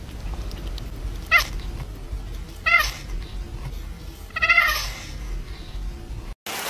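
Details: A domestic cat meows three times, short harmonic cries spaced about one and a half seconds apart, over a steady low background hum with faint music.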